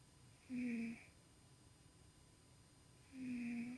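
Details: Dreaming pet cat Tuxie snoring indoors while asleep; two longer buzzy, humming snores about two and a half seconds apart, steady in pitch, with quiet room background between them.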